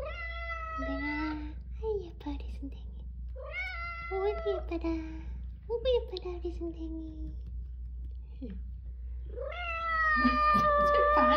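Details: Persistent meowing from a rescued Haeundae street cat, mother or daughter of a pair that survived seven years outside. Four insistent meows, some with a drooping second syllable, roughly every three seconds, with people talking softly underneath.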